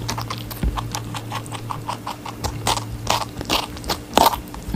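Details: Rabbit chewing watermelon up close, a quick run of soft rhythmic crunches broken by a few louder snapping bites, steady low hum in the background.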